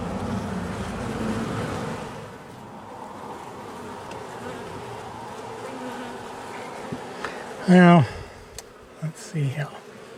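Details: Angry honey bee colony, long housed in the wall of a home, disturbed at nightfall during a cutout rescue; a continuous low buzzing swarm drone, then a short human voice near the end.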